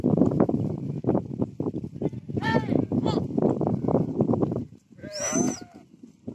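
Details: Goats in Odisha, India: two wavering, nasal bleats, the second higher and longer, rising out of a dense background of clattering and busy noise.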